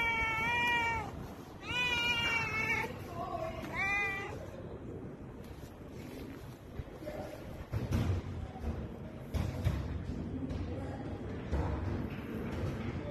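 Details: Pet cat under stroking hands mewing three times in quick succession, bright harmonic meows with a wavering tone, followed by several seconds of rustling and handling noises without calls.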